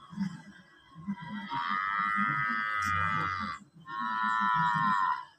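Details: Water buffalo giving loud, shrill calls: two long, level, strongly harmonic bellows separated by a brief pause, with rhythmic background music continuing underneath.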